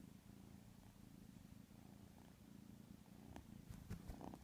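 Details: Sleeping white kitten gives a continuous low, fluttering snore made of rapid pulses. Near the end there are a few soft rustles and taps.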